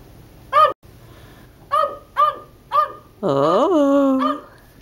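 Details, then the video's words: Male West Highland White Terrier in a backyard, undecided about staying out or coming in and jumping against a sliding glass door: four short, sharp, high barks spaced about half a second apart, then one longer drawn-out whining bark. "the Westie - Barking in the Backyard"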